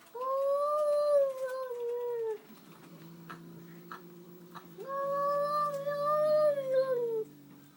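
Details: Domestic cat making a weird noise after seeing a new cat indoors: two long, drawn-out, wavering yowls, each about two seconds, slightly falling at the end, separated by a low steady hum.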